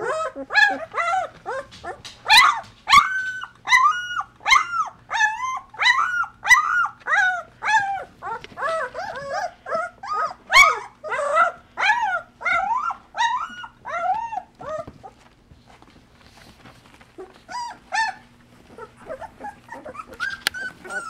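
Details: Two-week-old Golden Retriever puppies of the Dream Litter at Camelot House, eyes newly open, in a whelping box while their mother Mercedes cleans and nurses them; dense overlapping high whines and yips, arched and rising-falling, nearly continuous, with a faint low hum beneath.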